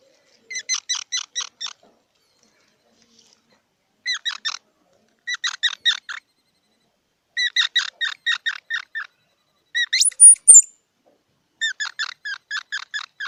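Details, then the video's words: Squirrel giving bouts of rapid, harmonic squeaky chips, each burst of five to eight notes lasting about a second, separated by short silences; one higher, thinner squeal near the tenth second; otherwise a quiet background. "សំលេងដង្ហែន Squirrel 🐿️ Sound"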